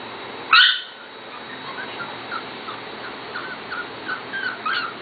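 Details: Corgi puppies from the Katie and Venus litters, almost seven weeks old: one sharp high yelp near the start, then a run of faint, short, thin whines rising and falling in pitch.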